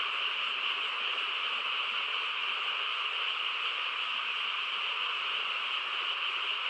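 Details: Countryside frog chorus at night, quiet surroundings: many frogs merge into one continuous shimmering, buzzy wall of sound that holds an even level with no separate croaks standing out.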